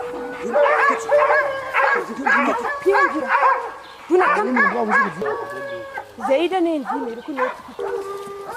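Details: Hounds baying while hunting leopards in Zimbabwe, Africa: several dogs overlapping in loud, drawn-out, wavering bays and yelping howls, repeated in bursts throughout, with music in the background.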